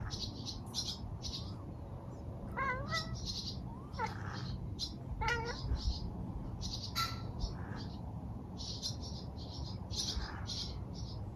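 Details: Mumu, a pet cat, chatters at a bird in a garden. Short stuttering bursts of rising, chirp-like cat sounds form a cluster in the middle of the clip. High, bright bird chirps keep sounding in the background throughout.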